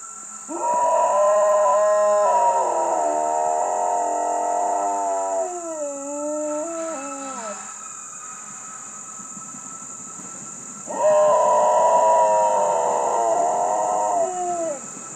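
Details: Chocolate Labrador Retriever howling at full voice: two long, wavering howls, each about six seconds, with the first ending in slipping, falling tones; a steady high electronic whine runs throughout.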